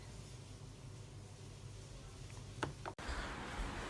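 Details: Quiet indoor room tone with a low hum, a brief soft click near the end, then an abrupt cut to slightly brighter background noise.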